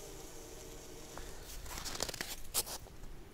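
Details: Only tearing, crunching and crinkling handling noises are heard, with no animal voice. A faint low hum runs underneath.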